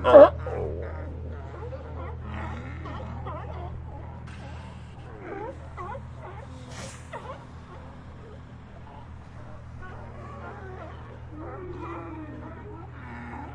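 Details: Sea lions call from a group in many overlapping moaning barks and wavering honks, opening with one loud close cry, then a continuous busy chorus of voices at various distances over a low background rumble.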